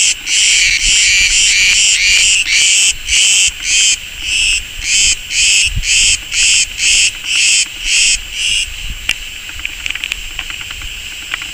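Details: In summer on Crete, a Cretan cicada (Cicada cretensis) on a wild olive tree by a road sings by day in loud, harsh buzzing pulses, about two per second, before falling silent.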